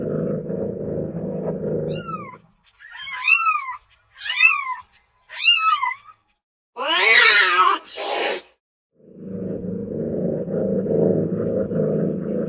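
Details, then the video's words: Domestic cats at play and lazing: a low, steady rumble gives way to four arched, descending meows, then a harsh, raspy squall, and the rumble resumes until the end. "Odgłosy Zwierząt - Kot domowy zestaw 30 niesamowitych kotów domowych podczas zabaw i leniuchowania"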